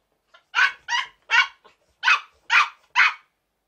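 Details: Two young Chihuahuas, about seven and four months old, playing together indoors: a run of six sharp, high yapping barks about half a second apart, quiet background.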